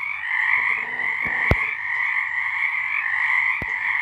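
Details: Night chorus of frogs in March 2023: continuous overlapping trills in two bright bands, with a couple of sharp clicks or knocks cutting through briefly.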